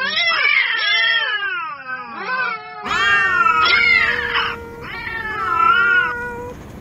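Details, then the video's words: Angry stray cats fighting on the street: overlapping wavering caterwauls, a descending moan then loud rising-and-falling yowls from two cats, with a steady low howl underneath. "Real Cat Fight Angry Cats Vs Cats Аngry Compilation Video Ever| cats and Cats Fight|Watch With Sound"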